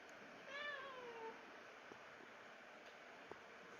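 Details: Rescued pet cat startled by a person's sneeze in Japan, giving a single soft, drawn-out meow that slides downward over nearly a second, then quiet with a few faint clicks in a hushed room.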